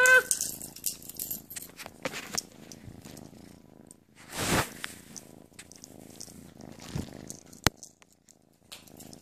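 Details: Purring from a playful kitten inside a room, a continuous low throbbing rumble, broken by scratchy handling noises and a sharp click.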